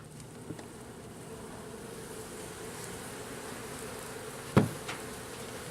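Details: Local bees being installed into a garden-style hive in a backyard, early in the first days; a steady low hum of many bees runs throughout, broken by a sharp knock near the end and a fainter tap earlier.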